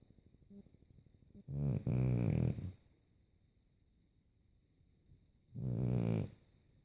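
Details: French Bulldog snoring while asleep: two deep, rasping snores, each lasting about a second, separated by roughly three seconds of quiet breathing, with a faint steady high hum underneath.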